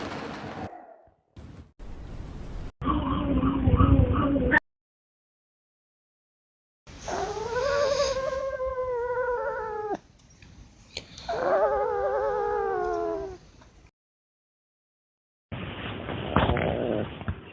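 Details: Chico, a dog found as a stray who barked only four times in many years and made weird noises instead, produces two drawn-out, wavering harmonic moans of about three seconds each, separated by silence and edited between harsh noisy bursts.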